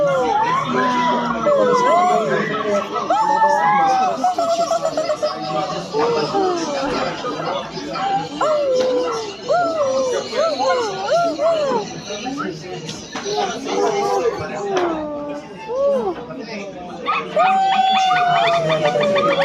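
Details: Silvery gibbon calling in a fast run of short, arched whistled notes, about three per second, building into overlapping phrases and ending in a long falling whistle, with voices and chatter behind.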